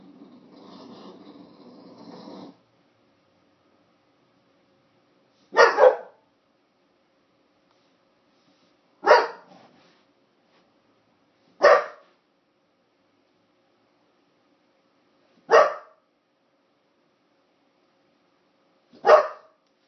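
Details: Dog at Christmas giving five single sharp barks spaced a few seconds apart, each short and punchy, after a brief soft rumbling noise at the start; otherwise quiet between barks.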